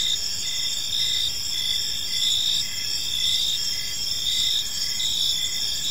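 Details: Several crickets sing together in a park at evening, a constant shimmering high trill overlaid with rhythmic short chirp pulses in quick succession, steady loudness throughout, light low background noise.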